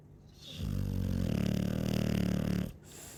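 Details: Sleeping Chow Chow gives one loud, low snore lasting about two seconds, a rough vibrating rumble that starts abruptly and cuts off, framed by soft breathing.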